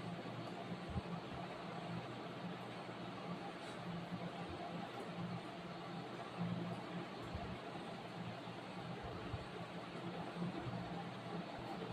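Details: Quiet, steady broadband room hiss with faint murmuring and a few soft knocks, without any distinct animal call.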